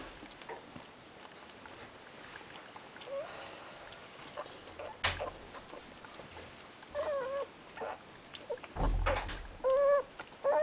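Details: Terrier mix puppies with their mother Amy: short, high, squeaky whines come in scattered bursts, growing more frequent toward the end, among soft rustling and a few dull thumps indoors.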